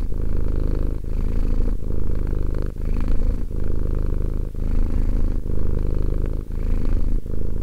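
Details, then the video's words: Two-year-old domestic cat purring steadily: a deep, low rumble in continuous runs, each broken by a brief pause for breath roughly every second, with no other sounds. "One hour of quality cat purring."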